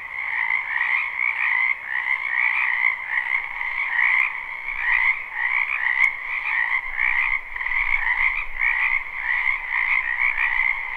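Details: Frogs croaking in a spring wetland behind a house, live recording with no looping: a dense, continuous chorus of many overlapping callers, bright trilling notes layered over a lower band, steady and unbroken, with faint clicks now and then.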